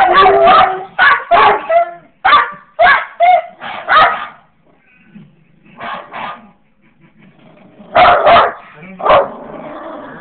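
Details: Sophie and Fenway, a basset hound and a Jack Russell terrier puppy, howl at a recording of themselves: rapid bursts of sharp barks in quick clusters, a few drawn-out yelping notes, then a pause and more barks near the end.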